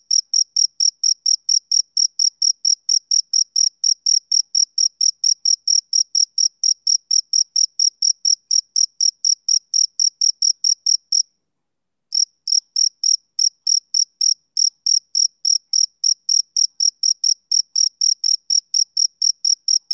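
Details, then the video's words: Persistent male cricket chirping on a summer evening: a long, fast train of high, clipped chirps that stops for under a second just past the eleven-second point, then resumes at the same pace. "Cricket Chirping Sound Effect"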